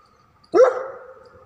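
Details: A dog gives one sharp, loud bark that starts abruptly and fades into a short ringing tail, with nothing else heard.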